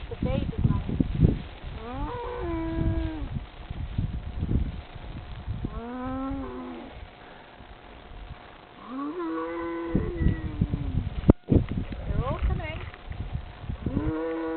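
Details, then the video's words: Several cows in France gathering around a man who calls them in: repeated drawn-out moos from more than one animal, arching in pitch, over heavy rustling, thuds and low rumbling close by. "Sound of Moosic"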